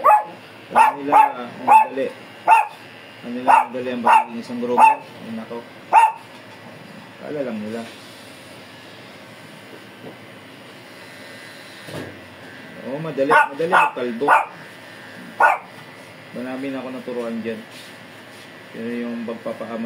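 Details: A fierce Shih Tzu being groomed gives a quick run of about ten sharp, clipped barks in the first six seconds. Human voices follow, with a few more yelps mixed into the talking near the end.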